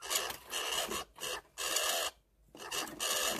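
A squirrel gives four harsh, raspy bursts of chatter, each about half a second to a second long, with short pauses between them.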